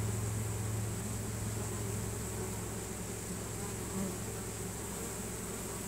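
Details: A honey bee swarm entering a new home, bees signalling with Nasanov pheromone; steady low droning buzz of many wings with a brief higher note near the end.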